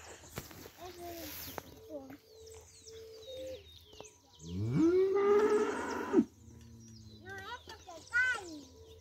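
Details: Cow on a farm where milk is bought for breakfast, one loud drawn-out moo rising then holding steady for about a second and a half mid-clip, among quieter voices, short high chirps and background sounds.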